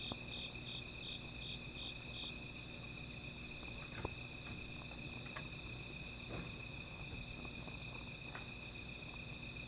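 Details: Nocturnal insects sing beside a small fire, opening with a run of rapid pulsed chirps over a constant high-pitched ringing trill; occasional crackles and pops from the burning wood punctuate the steady chorus.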